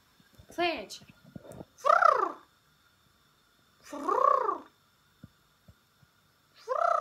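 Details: Pembroke Welsh Corgi letting out four arched, moaning calls, each swelling up and sliding back down, spread about two seconds apart, with faint taps and knocks between.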